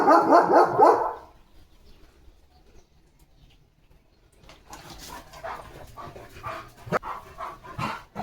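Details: Rapid run of loud, deep barks from a German Shepherd in its yard in India under a stormy, rainy sky, lasting about a second, followed by rustling, clicks and low background noise.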